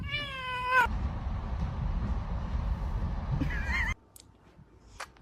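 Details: Cat giving a drawn-out harmonic meow that bends slightly downward, then a steady rumbling background noise, and a second short meow near the end before the noise cuts off.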